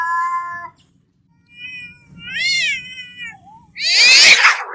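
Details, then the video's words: Angry domestic cats fighting: a steady harmonic meow, then rising and falling wavering yowls, ending in a loud harsh hissing, spitting burst. "Som de Gato Brigando Barulho de Gatos"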